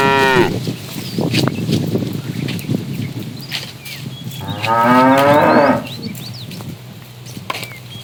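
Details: Cows roaming a road looking for food: a brief moo ending at the start, rustling and clattering noises, then a wavering moo of just over a second, with small birds chirping throughout.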